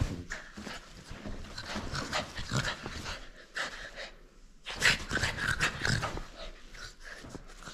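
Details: Playful French Bulldog holding on to a toy it will not surrender, giving busy snuffling and snorting breaths, with a louder flurry of huffs midway through, indoors.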